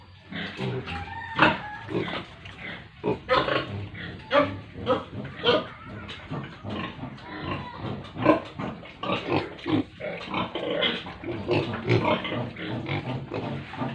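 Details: Pigs with piglets on a farm in a village area of India: a dense, continuous chorus of overlapping grunts and short squeals from many animals, rapid and uneven, with occasional louder shrill peaks.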